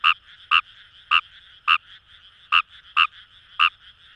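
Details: Fejervarya kawamurai in rice paddies of Itoshima, Fukuoka, Japan, giving seven sharp, clipped croaks spaced roughly half a second apart, backed by a continuous ringing chorus of other frogs.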